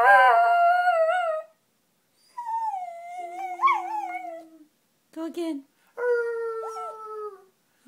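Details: Miniature schnauzer Neo sings along with people, giving quieter, wavering howls that bend up and down, in several separate phrases with silent gaps, with a lower steady tone and a few short voice-like sounds between them.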